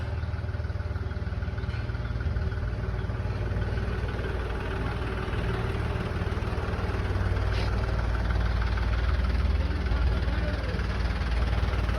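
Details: A steady idling engine rumbles at a dairy farm in Haryana, a deep continuous drone with no animal calls standing out.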